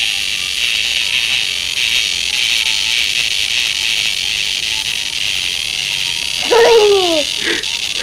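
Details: A child plays with a cicada held in one hand to make it sound, and it gives a steady, high, hissing buzz; the child's voice breaks in near the end.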